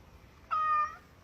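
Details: A domestic cat gives one clear, steady meow lasting about half a second, holding its pitch and dropping slightly at the close, against a quiet background.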